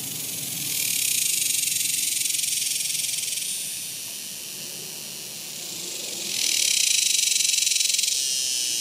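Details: Summer cicadas recorded in 2021, their sizzling high-pitched drone rising in a wave, dipping to a quieter hum, then swelling loud again near the end.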